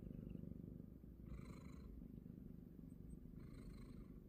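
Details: A sleeping pet cat snores with a steady, low, rough rumbling, about three pulses a second. Short bursts of computer game sound break in twice while its owner plays nearby.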